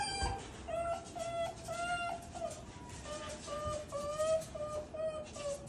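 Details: Japanese raccoon dog calling with joy as its father comes to visit: a steady run of high, tonal whines with bright overtones, each drawn out and bending slightly, strung together almost without pause over quiet background.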